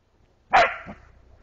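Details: Playful bark from Moxie, a border collie, directed at a young deer she woke in the forest on a walk; a strong single bark followed by a softer second sound and faint rustling.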